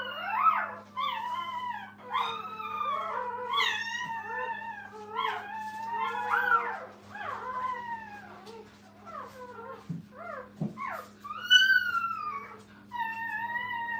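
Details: Litter of Brittany puppies with mother Minnie at a training kennel, calling nonstop: dense, overlapping high whimpers and squeaky downward-sliding whines, a couple of soft thumps near the end, steady background hum.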